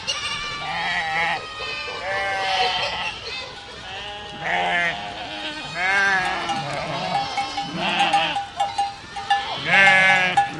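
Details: Goat herd calling in a chorus of tremulous, nasal bleats that rise and fall, several animals overlapping, with a steady ringing bell tone near the end.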